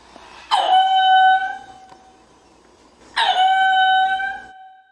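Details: Lemur giving two loud, harmonic, wailing calls, each about a second long with a sharp onset and steady pitch, spaced roughly two and a half seconds apart, quiet between them.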